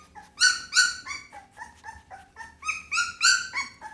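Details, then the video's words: Pit Bull puppy producing strident, harmonic-rich yelps mixed with softer falling whimpers, about three per second, alternating loud and quiet calls. "เสียงหมาน้อย ลูกพิทบูล"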